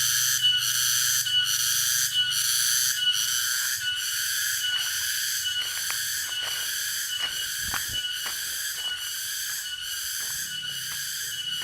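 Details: Cicada called tonggeret, recorded at Dago in Subang, West Java: a piercing metallic buzz beating in regular pulses just under a second apart, with scattered sharp clicks and knocks in the background.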